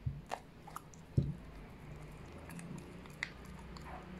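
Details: White Cocker Spaniel eating meat indoors: short, wet chewing and biting clicks, with sharper crunches near the start and around one second, then softer irregular mastication over a low, steady room hum.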